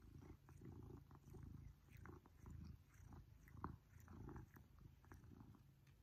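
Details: Pippin, a male Maine Coon cat, purring during affectionate cuddling, happy with attention from his family; a deep, low rumble swelling and fading in steady pulses about once a second, with faint soft rustles.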